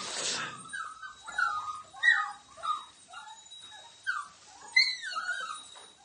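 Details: Litter of Australian Cattle Dog puppies, red or blue, from working parents in Piedmont, Italy; a series of high, falling whimpers and squeaks repeats about every second, after a brief rustle at the start.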